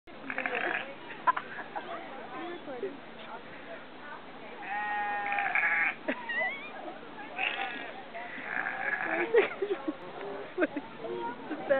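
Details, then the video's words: Sheep bleating: two drawn-out, wavering bleats near the middle and another pair later, with people talking and scattered knocks and clatter throughout. "Sheep Sounds!"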